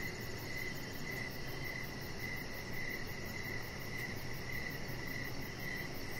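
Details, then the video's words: Evening crickets near a deck with decoration lights and a resting chihuahua puppy: thin, high chirps recur about twice a second, somewhat muted under a heavier low rumbling background noise. "Chihuahua Puppy Laying On Deck with Cricket Sounds"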